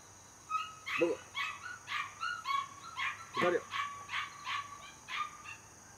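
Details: Border Collie puppy, 77 days old, born 5 July 2024 and raised in a home, whimpers in a steady run of high, tonal yips roughly every half second, with two lower, rougher bark-like bursts mixed in.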